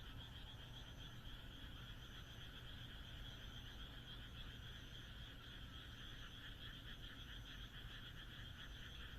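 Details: Frogs calling on a moonlit night in the Japanese countryside: a dense, continuous chorus of rapid pulsed croaks in two stacked bands, with fainter high trills at intervals, over a steady low rumble.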